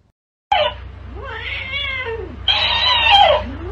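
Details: Domestic cat giving two drawn-out meows, the first rising then falling in a wavering arc, the second louder and harsher, with a steady low mechanical hum beneath.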